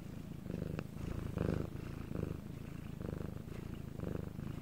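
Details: Cat Bangul in Korea, recorded at night in silence, purring in a deep rhythmic rumble; breath pulses come slightly quicker, around every three-quarters of a second, with one sharp click early on.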